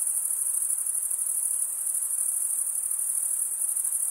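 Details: Crickets producing their stridulated chirping, a piercing, uniform high trill with a slight rhythmic throb, continuous from start to end with only faint background hiss.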